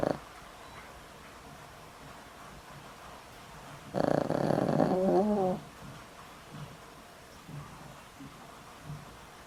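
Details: Very old pet dog, over twenty years in the home, with a weak heart and on daily medicine, asleep and snoring: one loud rasping snore with a wavering tone midway, then soft quiet breaths.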